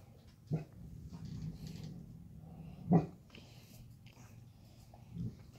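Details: Irish Wolfhound puppies, five months old, playing indoors in a kitchen: three short, low woofs, spaced roughly two to three seconds apart, over a steady low indoor rumble.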